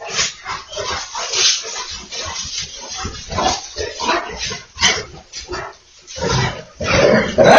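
An American Pit Bull Terrier gives a run of short, gruff barks and huffing snorts in quick succession.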